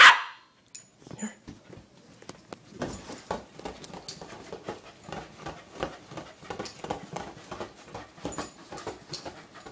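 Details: A corgi attacking his new toy ball gives short, rough barks and huffs in an irregular flurry, mixed with scuffling thumps.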